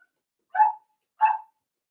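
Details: Cavalier King Charles spaniel puppies at four weeks old, indoors during socializing with other dogs: two short, sharp yips about two-thirds of a second apart, clean against silence.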